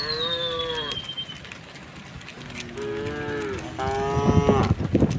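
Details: Tame herd cattle heading out to a broad pasture in the calm early morning; three moos in quick succession, the later ones longer and steadier, with a descending bird whistle at the start and scuffling noises near the end.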